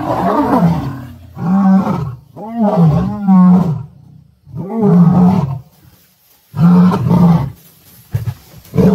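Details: Wild lions clashing as a lioness attacks a mating pair; a series of deep, guttural roaring growls in bursts of one to two seconds, separated by short pauses, some wavering and rising before breaking off.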